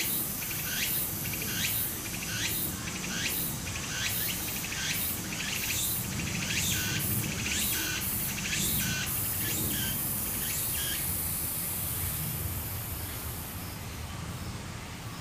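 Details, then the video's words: Cicadas by a flowing stream in Japan, summer. Repeated upward-swooping calls come steadily, then stop after about nine seconds, leaving only a fading high drone and the continuous rush of water. "小川の流れと蝉の声 自然音 ～夏～ Japan Sound of nature Cicada's voice"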